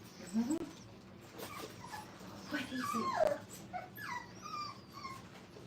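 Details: Five-week-old Brittany puppies playing at a training kennel, giving faint high whimpers and short squeals that slide up and down, scattered across several seconds, with soft indoor background noise and a little speech.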